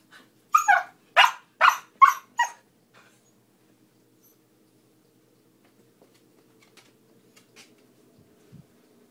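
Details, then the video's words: A young Siberian Husky playing and talking, giving a quick series of five sharp, loud barks within about two seconds, then quiet with faint low sounds and a soft low grunt near the end. "Little husky playing and talking"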